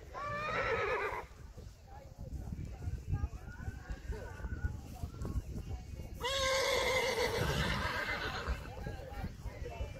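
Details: Reintje, a Friesian horse from a herd, neighs during a dressage session. Two loud, quavering whinnies open and close the stretch, and a person talks between them over a steady background rumble.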